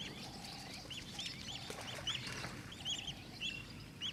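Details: High squeaky chirps from African wild dogs at Mana Pools come in quick scattered bursts over a hissy, rumbling background.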